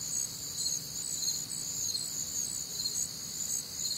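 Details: Crickets calling on a warm, humid Midwestern summer night: a dense, shrill chorus of overlapping high chirps stacked in several pitch bands, pulsing roughly twice per second over a faint low background hum.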